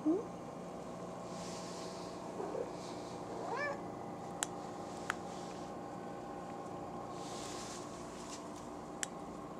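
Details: Buddy the cat gives a couple of short, rising meows in a quiet room, followed by a few sharp isolated clicks, with soft human talk around it.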